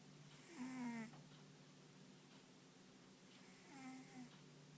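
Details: Ponta, a pet dog, sleeping soundly with paws and ears twitching now and then, gives two short nasal snores about three seconds apart. Each is a buzzy, rasping breath rich in overtones, set over a steady low electrical hum.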